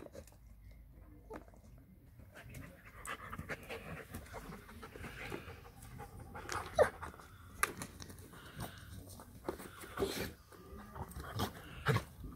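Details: German Shepherd playing with a new toy, breathing in quick panting bursts amid clattering knocks and scuffs, with a low background rumble.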